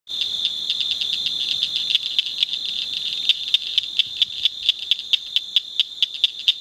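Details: Blanchard's cricket frog calling at night from the Nueces River bottom in La Salle County, Texas; sharp high clicks grow more distinct and quicken to about four per second over a constant high-pitched drone.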